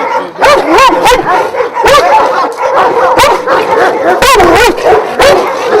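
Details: Several Šarplaninac dogs of Vujanski bloodline at a kennel of twelve dogs in Jasika near Kruševac, Serbia, barking together in a loud overlapping chorus of deep, harmonic barks and yelps with short pauses.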